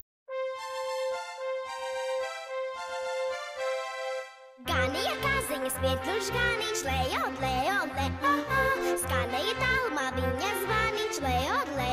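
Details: Tinkling chimes open, then a lively children's tune with a steady beat plays on, with no animal sound heard.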